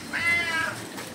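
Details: Cat among kittens drinking cow milk, Indian street cats, the mother said to be angry with them: one short, clear, slightly falling meow lasting about half a second.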